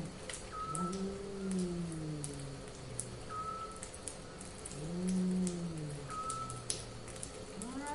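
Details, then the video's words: Cats in heat yowling: long, low, wavering moans that swell and sag, two drawn-out calls across eight seconds. A short high tone repeats several times, and faint clicks patter in the background. "Cats in Heat"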